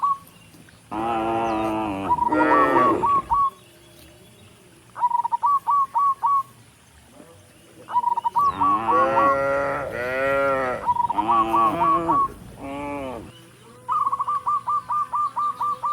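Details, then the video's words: Tame cattle walking up a rural road toward the barn in a group of dozens, mooing to call other cattle. Bursts of loud, quavering moos alternate with rapid, evenly repeated high chirping phrases. "Dozens of tame cattle are walking up the rural road toward the barn, and the sound of mooing"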